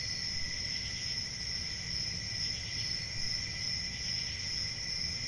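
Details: Crickets fill the air with a steady, shrill trilling drone held at two high pitches, lightly pulsing throughout, over a faint low rumble.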